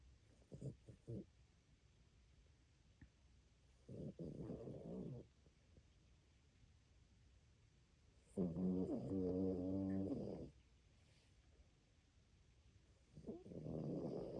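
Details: Sleeping dog snoring loudly: four low, rasping snore bursts roughly every four seconds, the third longest and carrying a rattling, faintly tonal edge, with quiet breathing gaps between.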